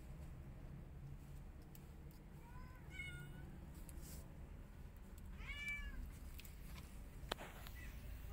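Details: Angry white cat unhappy as a tiny kitten tries to enter her hut; two faint rising-falling meows, the second stronger, over a steady low rumble and scattered clicks.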